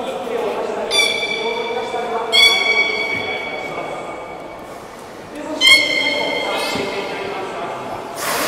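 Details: Captive beluga at Port of Nagoya Public Aquarium during a 16:00 public training show on 2 August 2016: three bright, level whistled tones with ringing overtones, one trailing off slowly, over constant murmur of visitors talking.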